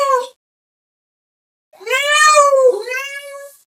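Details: Cat calling another cat with loud meows: a short clipped meow, a pause, then a long wavering meow that slides down and runs into a second drawn-out cry.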